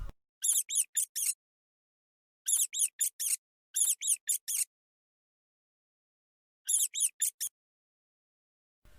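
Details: Mouse squeaking: very high, thin squeaks in rapid bursts of four or five, four bursts separated by stretches of silence, with no other sounds.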